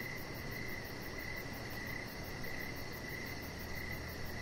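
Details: Evening cricket chorus by a deck with a chihuahua puppy, Rocket, lying out; bright chirps follow one another about every half second over low steady rumble and a faint rapid high ticking.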